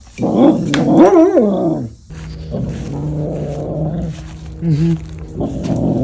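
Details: Happy dog giving an 'arooo' howl: a rising, wavering harmonic yowl in the first two seconds, then a long steady low moan with a brief warbling upturn near the end, indoors with no other clear sounds.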